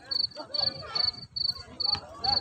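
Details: Field cricket, called kuliglig, chirping outdoors in an unedited recording near the Al Khobar Corniche. Short, high, pulsed chirps repeat about every half second, six bursts in all. Faint low rumble sits underneath.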